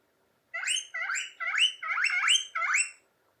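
A guinea pig gives a quick run of six squealing wheeks, each rising sharply then falling.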